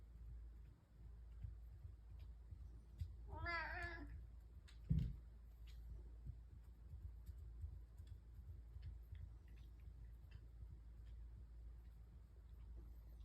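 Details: Morning breakfast time for three pet cats purring together indoors: one wavering, drawn-out meow lasting about half a second, then a single thump, with constant low household hum throughout.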